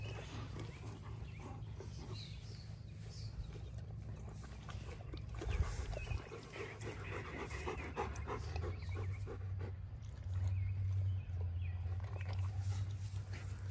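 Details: Dogs panting outdoors as Erie, a Great Pyrenees/Border Collie mix on a week's stay, meets Hannah, a Yellow Labrador Retriever, with Midnight and Odin present; quick breathy bursts roughly three per second over a steady low rumble.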